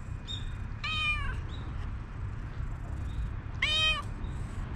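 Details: Stray calico cat meowing, its cute call drawing a black cat over; two bright harmonic meows about two and a half seconds apart, each slightly falling, above low background rumble.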